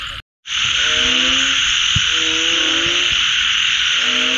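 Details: Frogs after rain give drawn-out, slightly rising tonal calls that overlap one another, following a brief silent gap at the start, all under a loud steady hiss of rain or insects.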